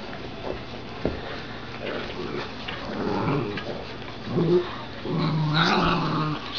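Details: Puppies, two Dachshunds against a Golden Retriever, tussle over a glove, giving low rumbling growls and a drawn-out growl near the end, with thumps and scuffles of play.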